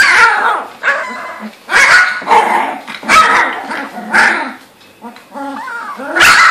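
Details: Young female Labrador Retriever puppies, two to three weeks old, from the Gold Coast, Australia, trying out their voices at play: rough puppy barks and squealing yips about once a second, with a brief wavering whine near the end.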